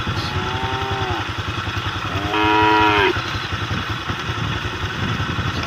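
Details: Cattle on a road calling to the herd, giving two mooing calls, a longer one early and a louder, fuller one around the third second, against a continuous pulsing motorcycle engine.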